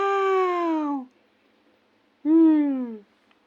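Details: Sleepy female kitten indoors making two drawn-out meows that slide downward in pitch, the second starting after a pause of about a second, with quiet room noise between.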